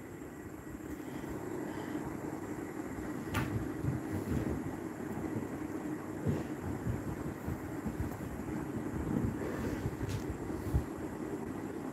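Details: Steady wind buffeting and a low rumble like passing traffic or a train, with occasional knocks; no animal voice is heard.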